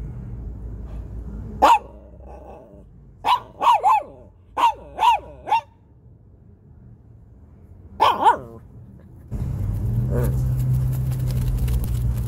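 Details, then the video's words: Shih Tzu barking: short, sharp barks, single and in quick runs of three to four about half a second apart, with a pair near the middle; steady broadband noise takes over at the end. "Shih Tzu Barking Noises"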